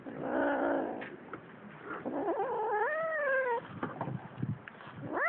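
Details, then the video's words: Fighting cats caterwauling: a low growling moan, then a wavering, quavering yowl that climbs and sags over a second, ending with a sharp rising wail. "Cats fight."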